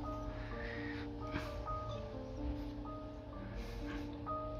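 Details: Soft, steady instrumental music with sustained tones and a faint rustle, no animal voice.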